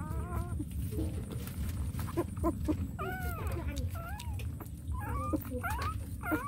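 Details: Puppies whimpering and yipping: thin, arching whines in quick bursts, several overlapping in the middle, over a steady low rumbling background noise.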